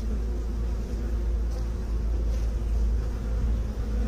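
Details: A short burst of deep, rumbling bee buzz, loud and unbroken, with a heavy low hum that fills the whole stretch.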